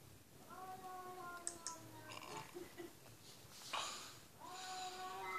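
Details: Cat meowing indoors: two drawn-out, slightly falling harmonic meows, each about a second and a half long, with faint background noise and brief clicks between them.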